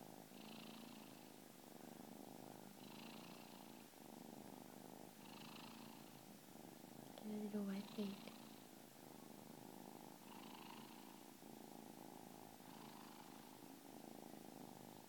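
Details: Kitten purring like a little jackhammer, a steady low rumbling purr with rhythmic breathing cycles every two to three seconds and a soft voice briefly heard mid-way.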